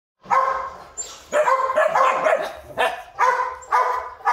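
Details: Purebred large-line Rottweiler from a Vietnamese breeding kennel barking in loud, hoarse bursts, usually two or three barks close together, separated by short pauses.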